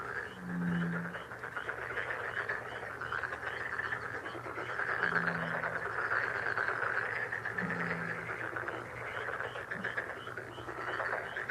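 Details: A lucky frog sound: a steady, crackling, pulsed frog chorus with a constant low hum. A deeper, drawn-out croak breaks through near the start, around five seconds and near eight seconds.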